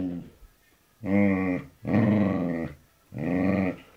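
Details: Samoyed–Border Collie mix dog grumbling in three low, rasping, harmonic growls of roughly half to one second each, spaced by brief silences, a faint shorter sound at the start.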